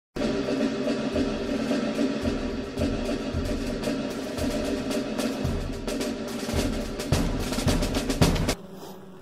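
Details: Loud drum-driven percussive music with steady beats and rolls plays throughout, then cuts off abruptly near the end; no animal sound is heard.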